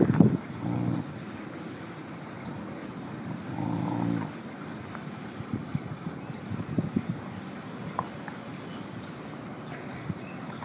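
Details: Mother dog chewing on bones growls low in her throat at another dog approaching, warning it off until it leaves; two low rumbling bursts near the start and around four seconds, then quieter scuffing and background noise.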